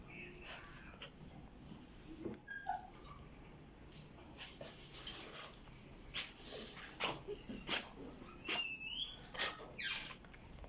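A French Bulldog puppy snores in raspy, wheezy breaths with faint squeaky whistles.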